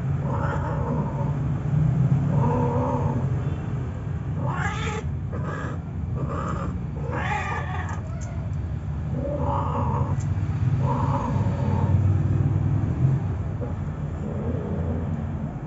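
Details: Mating between a Siamese cat and a male puspin: drawn-out, harmonic caterwauls that rise and waver, repeated every second or two with a dense cluster midway, over a constant deep background rumble.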